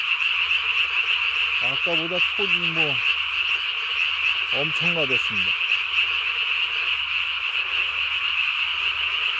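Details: At night on 3 May 2020, a Japanese tree frog calls with its throat sac inflated to body size; steady high rapid croaks run throughout, interrupted twice by short bursts of lower, bending harmonic tones.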